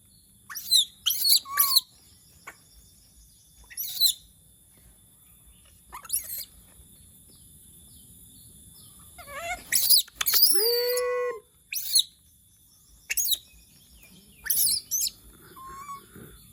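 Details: Pet monkey in Indonesia crying out when it misses humans: scattered shrill squeaks and screeches, some long wavering wails, separated by quiet gaps of a second or more, over a faint steady background hum.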